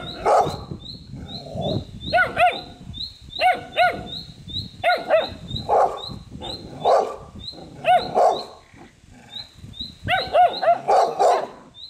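A two-month-old Polish Tatra Sheepdog puppy gives high, squeaky yelps in quick bursts.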